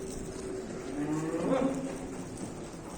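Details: A cow being handed over to buyers in Manisa, Turkey, makes a low, drawn-out moo with a brief upward lift midway, partly under people talking nearby.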